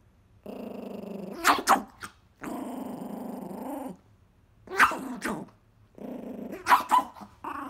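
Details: Angry Chihuahua protecting his pizza crust, giving long rumbling growls of one to two seconds separated by short snappy barks or yips and brief pauses.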